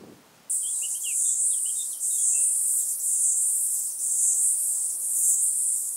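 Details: White-headed Toothed Grasshopper, Stenobothrus fischeri, singing at Sandberge Oberweiden, Austria, on 15 July 2020; a dense, hissing high-pitched buzz runs steadily after a short quiet start, with faint chirping notes below it early on.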